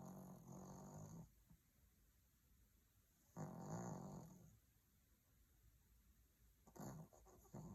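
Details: Maltese dog in deep sleep under a cozy blanket, snoring softly: low, breathy snores lasting about a second, spaced a few seconds apart in a quiet room.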